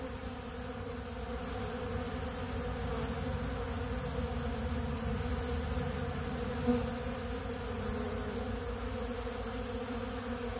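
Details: Honeybees gathered at a big blue pollen feeder eating ultra bee pollen, producing a thick continuous buzzing drone with steady low harmonic bands and a faint click midway.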